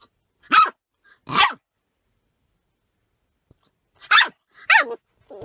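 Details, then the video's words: A puppy with hiccups sits in a car with its owner and barks at them, seemingly startled and confused: five short, sharp yelps in two pairs plus a final one, separated by a long silent gap. "Puppy Tries to Bark Away the Hiccups"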